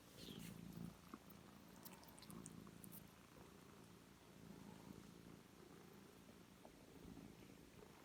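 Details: Foster kittens at three weeks old with their mother, indoors: a very quiet, low, soft pulsing purr in repeated bursts, faint against room noise, with a few small clicks.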